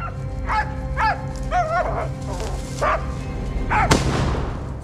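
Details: Hunting laika baying while working moose during a hunt in Sverdlovsk region, Russia; a string of about six high, arching yelping barks spaced roughly a second apart, over a steady music bed, with a sharp click near the end.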